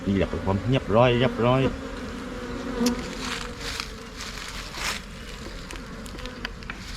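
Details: Asian honey bees, the Thai cavity bee, swarming and entering a new hive box in Thailand: a man talks briefly at first, then a level low hum of the massed bees carries on alone with faint clicks.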